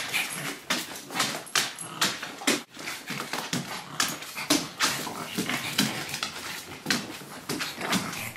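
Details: A Pug and a Great Dane playing together indoors in a home office. Rapid breathy, snuffling bursts of panting and scuffling come roughly every half second throughout, with no clear barks.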